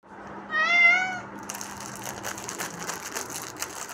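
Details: Kitten giving a single high, clear meow lasting under a second, followed by a rustly, crackling handling noise for the rest.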